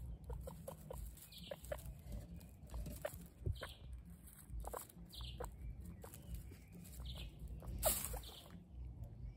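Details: Guinea pigs giving short high squeaks scattered irregularly through the clip, with soft clicks and rustling beneath a steady low hum.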